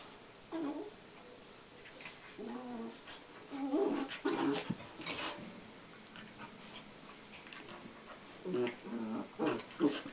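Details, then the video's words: Two Border Collie puppies, aged five months and ten weeks, playing together on a day bed in December 2009: short whiny growls and yelping bursts come in clusters between scuffling, with a person speaking softly. "Border Collie Pups Playing"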